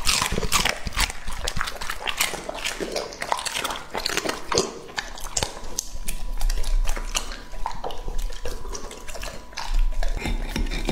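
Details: Two-and-a-half-year-old male English Labrador named Lucky eating peaches, baby corn and berries, recorded up close for ASMR: continuous juicy, smacking chews and crackling bites with a faint steady hum underneath.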